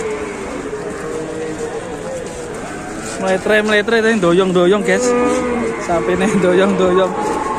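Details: An enraged cow on an Indonesian cattle farm bellows loudly in a long, wavering, harmonic-rich moo that starts after about three seconds and rises and falls in pitch, with voices faintly behind.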